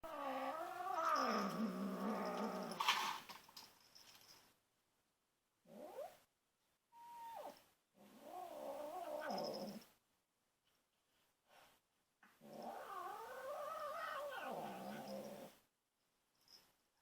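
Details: A 2.5-month-old female kitten, guarding her toy while other cats hover nearby, gives low, wavering growling yowls lasting several seconds, broken by short silences, with one brief higher squeak in the middle.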